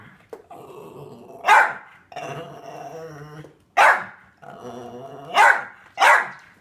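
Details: Mickey the Jack Russell Terrier, in a jacket, alternates low rumbling growls with four sharp high barks, the last two coming close together.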